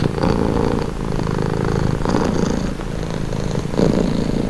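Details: Low buzzing cat purr running without pause, rising and falling slightly with each breath at roughly one-second intervals, the texture coarse and rumbling, no other voices or noises heard.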